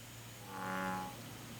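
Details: A single deep, resonant croak of an American bullfrog in Korea, about half a second long, swelling and fading over a steady low background hum.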